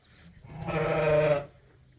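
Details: One sheep at Ewetopia Farms, recorded while lambs are being ear-tagged, lets out a single drawn-out, harmonic bleat lasting almost a second. It swells and fades against a quiet barn background.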